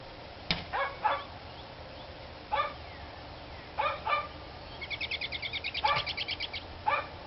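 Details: Barking dogs on 29 March 2013: scattered single and double barks at irregular intervals, while a bird's rapid, high, trilled series of pulses runs alongside the barking partway through.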